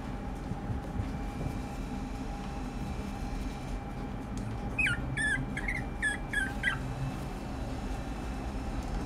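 A Pomeranian gives a short run of high, wavering whimpers and yips over a steady indoor hum.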